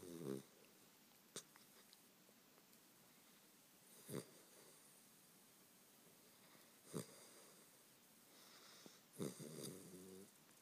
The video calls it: Hogan the weimaraner puppy snoring